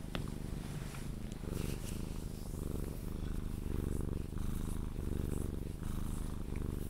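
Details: Sphynx cat held and cuddled, purring until it falls asleep; a loud, deep continuous purr pulsing with each breath, with faint rustling of handling.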